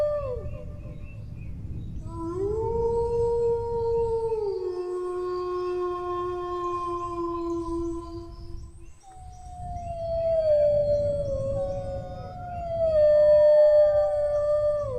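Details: Dog howling in two long phrases: the first rises sharply, holds, then drops to a lower sustained tone; after a brief break, higher wavering howls overlap and slowly descend, with low background rumble throughout.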